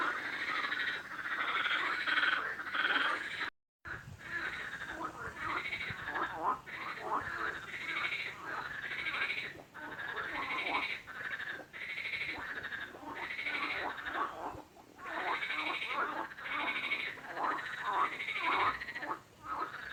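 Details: Frog giving loud, raspy, pulsed croaks in rapid bursts about every second, each note slightly rising then falling, with a brief silent break near the start.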